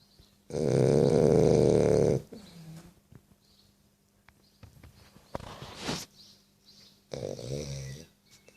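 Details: A French Bulldog snores with a loud, rattling, drawn-out breath followed by softer snuffling snores.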